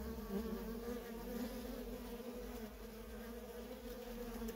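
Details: Worker honey bees at a feral colony in nonstop traffic: a dense, steady droning hum with bright bands around the low-mid pitch, continuous without pauses, wingbeats blending into one layered buzz.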